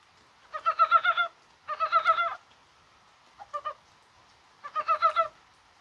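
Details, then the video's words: Korean brown frogs calling in rain on a mild, spring-like 21 January: four short bursts of rapid, clucking pulses, each under a second long, separated by brief silences, with no other clear sounds. "개구리가 울어요"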